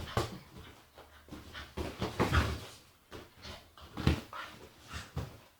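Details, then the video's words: Agitated female Staffordshire Bull Terrier indoors, making a run of low grumbling, whimpering and snuffling noises in uneven bursts, some louder and harsher than others, with soft rustling between them. "Agitated Staffy makes funny noises"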